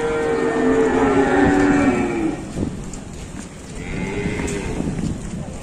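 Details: Raging loose cattle: a loud, two-second harmonic bellow, a quieter pause, then a second, softer moo, with outdoor noise behind.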